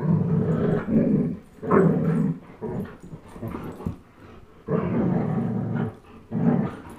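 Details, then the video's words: Playful tug of war between a young German Shepherd, Chase, aged 10.5 months, and Blizzard, a one-year-old Old English Sheepdog; sustained low throaty growling in several long swells with short pauses between them. "Old English Sheepdog vs German Shepherd tug of war"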